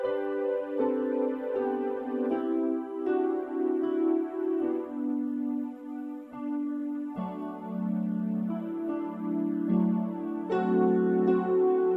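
Soft keyboard music with sustained chords and no animal sound.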